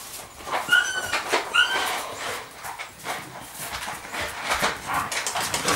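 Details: Young Rhodesian Ridgeback puppy of the Makao Line kennel, born 9 September 2016, gives two short, high whines early on, each a brief rising-then-falling squeak, followed by soft rustling and handling noise indoors.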